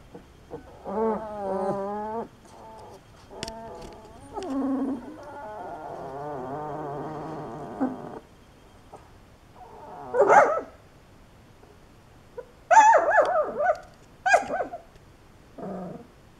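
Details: Great Dane puppies giving drawn-out, wavering whines and howls, including a long warbling stretch, followed by shorter, louder yelping cries with pauses between them.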